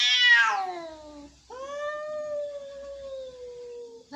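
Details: An angry cat gives a loud, harsh, falling yowl, followed by a long, steady, low moaning wail that ends as another strident cry begins.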